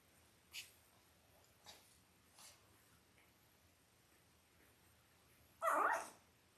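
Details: Indoor puppy-cam sound of five-day-old Labrador Retriever puppies, born October 15, 2023, in a litter of five males and three females: faint shuffling and small taps, then one loud brief squeal near the end.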